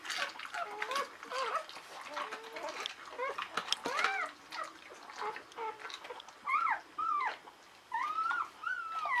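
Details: Newborn Czechoslovakian Wolfdog puppies, a litter of five females born 21 November 2020 to Orizon and Rahan at a breeding kennel, in the whelping box. Thin, high squeaky whines rise and fall in quick overlapping bursts, with small wet indoor noises.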